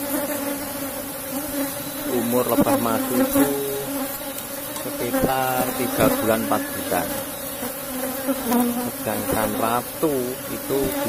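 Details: Humming Asian honey bees of a strong colony kept in a box hive as honey is taken; even, droning buzz persists under intermittent human speech and handling clicks.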